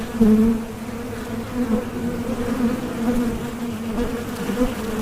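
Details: Bee. A continuous low drone of bees fills the recording, a humming buzz with a clear overtone above it. The sound rises and falls gently as insects move nearer and farther, with no other noticeable sounds.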